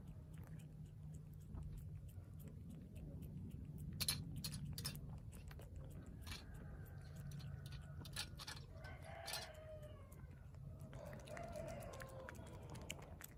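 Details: Street cat chewing food noisily, sharp crunching clicks interrupted by several short tonal, whiny murmurs, each lasting about a second, against a low background hum.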